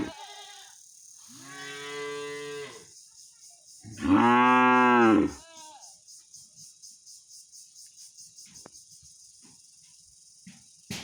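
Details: Angry cow calling out to its owner: a moderate moo, then a louder, fuller bellow a second later, followed by quiet shuffling and faint clicks.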